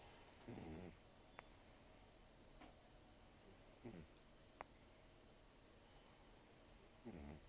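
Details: Taro, a rescued cat of about 10 to 14 years with almost no teeth, sleeping and snoring roughly; three short rasping, harmonic snore bursts come about three seconds apart over a quiet room hiss with faint clicks.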